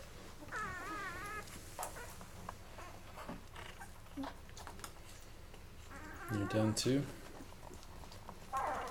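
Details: Eleven-day-old Labrador Retriever puppies from Mocha's litter, eating until full and then crawling off to fall asleep; one brief, wavering, quavering whimper early on, then soft rustling and a person's voice later.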